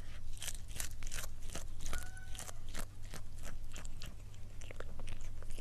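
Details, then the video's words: A cat eating indoors: rapid crunching and chewing clicks, irregular bites packed closely over several seconds, with a low steady hum underneath. "고양이 먹방 (CAT MUKBANG ASMR)"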